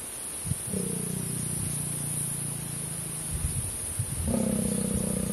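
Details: Lions mating, the lioness in season, mating about every fifteen minutes; a long low drawn-out growl, then after a short gap a second louder, rougher growl.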